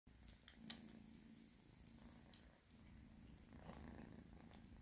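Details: Two domestic cats purring while being fed indoors; a low, steady rumbling purr runs throughout with a few faint clicks and small noises above it.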